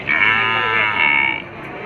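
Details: Cattle at a cattle market, a short strained bellow with bright stacked harmonics lasting just over a second, then fading into market noise.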